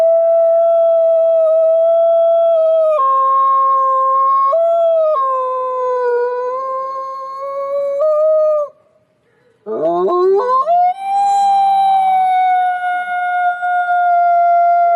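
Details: Wolves howl in a forest, with several long, steady voices overlapping and stepping abruptly between pitches. A short lull follows, then new howls swoop upward and hold a high, level tone.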